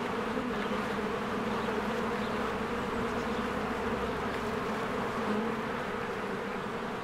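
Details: Spring beehive with swarms of honeybees flying in and out of the hive, recorded with a Canon EOS R. A continuous thick buzz of many wings holds an even drone with a deeper hum beneath, unchanging for the whole stretch.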